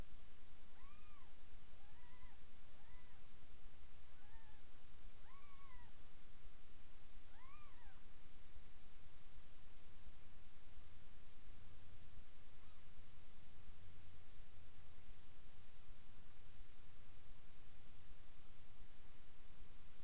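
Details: Indoors, Miss Kitty, a mother cat, feeds her seven kittens, nearly three days old, in a new bed; about seven short, high, arching mews in the first eight seconds, then only steady background hiss.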